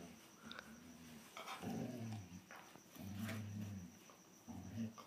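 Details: Younger German Shorthaired Pointer pestering an older one of the same breed: quiet, low rumbling growls in drawn-out phrases, separated by short pauses, under a hissy background.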